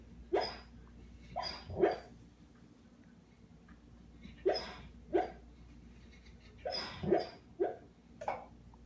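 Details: Sam, a female pet dog, cries out during a bad dream, giving soft muffled yelps and whines in irregular groups of two or three, with quiet pauses and a faint low hum.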